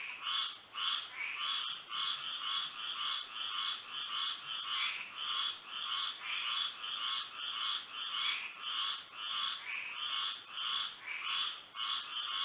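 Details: Moonlit Florida night with frogs singing together: rapid, evenly spaced throbbing croaks merge into a continuous pulsing chorus, while a thin steady insect tone runs above.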